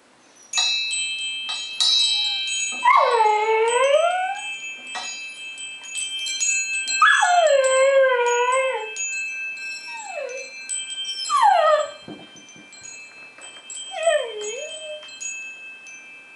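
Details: Singing along to wind chimes, the dog Polo gives a series of wavering, downward-curving howls with rich harmonics, some short whimpering notes between, over steady high metallic chime tones.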